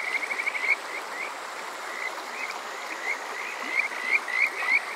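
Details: Summer-night Kajika frog chorus at Water Park Shirayama in Yokoze, Chichibu, Saitama, Japan, taken on a TASCAM DR-05X: a quick opening trill of high upslurred notes, a quieter gap, then louder rising chirps building near the end, with constant water rush behind.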